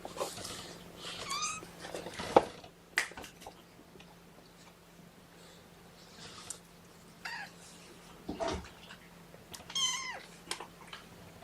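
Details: Kittens of Mama Seraphina's litter of four protesting indoors while being pottied before weigh-in; scattered thin high meows with handling rustles and bumps in between.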